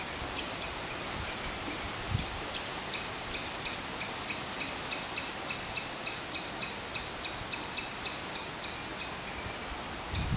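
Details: Rapid, evenly spaced high chirps from a squirrel continue throughout, a few strokes per second, over broadband outdoor noise with occasional low bumps.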